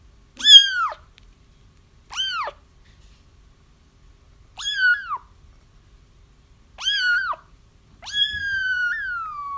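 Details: Kittens crying for their mother, a sound used when trapping feral cats: five high mews spaced about two seconds apart, most short and arching downward, the final one long and drawn out with a falling tail.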